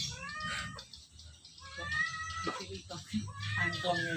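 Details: Drowsy domestic cat, among several companions settled at home or in its cage, letting out a few stretched, wavering meows, with people talking in the background and a low room hum.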